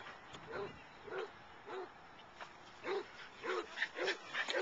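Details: Wonka, a Boston Terrier/Pug mix, playing at the dog park; short mid-pitched barks come in quick succession, roughly every half second, growing louder and denser toward the end.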